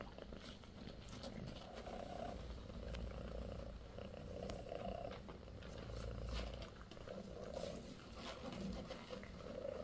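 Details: British Shorthair kittens, sixteen days old, one of four in Bassy's litter: a continuous soft, low purr with gentle rhythmic swells and no other clear sounds.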